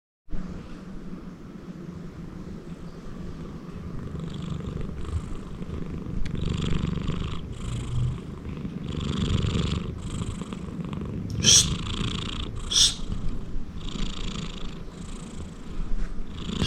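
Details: A big male Persian (Himalayan) cat snores loudly in low, rumbling breaths with a soft raspy rattle.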